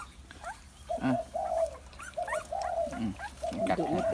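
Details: Thai Bangkaew puppy drinking milk from a large bottle, giving short whining, tonal squeaks in rapid bursts, some rising and falling, with faint background noise.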